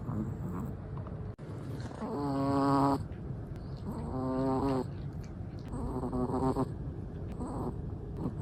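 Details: Snores from a sleeping Chihuahua: three drawn-out buzzy inhalations with a nasal, almost whistled tone, about every two seconds, each swelling then cutting off, over a soft low room hum.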